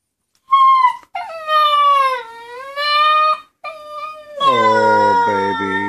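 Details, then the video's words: Ten-week-old female Husky puppy left at home while her companion dog went to the dog park, complaining with drawn-out wavering howls and whines, several separate rising and falling cries; a person softly tells her not to cry. "Husky puppy is sad, her friend wend to the dog park."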